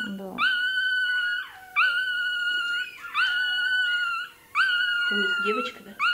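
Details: Female toy terrier puppy during tail docking wails in long, level, high-pitched cries. There are four drawn-out screams about a second apart, each ending in a dip, over quiet voices of people talking nearby.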